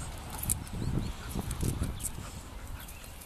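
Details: Two Bull Terriers fighting: low, rough, rumbling bursts come in quick uneven pulses, with the loudest stretch around the middle and softer scuffling noise between them.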